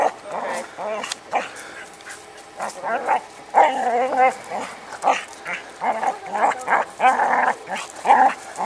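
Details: Ann, a Border Collie, herding a rock outdoors, gives a string of high whining yelps and short barks with wavering pitch, bursts coming every half second or so between brief pauses.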